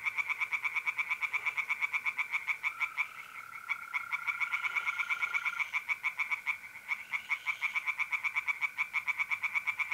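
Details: Tree frogs singing in a pond on an April night in north-east Italy, with trilling mole crickets. Rapid loud pulsed croaks repeat steadily throughout, overlapping callers, beneath a continuous lower steady trill.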